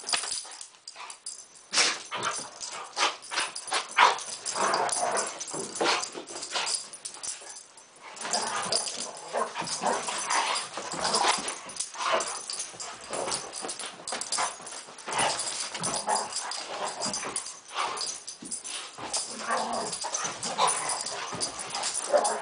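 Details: Poodles in a play fight that began with stalking, a busy stretch of rough, breathy growls and short yips. The bursts come in quick succession with brief pauses, over constant scuffling noise.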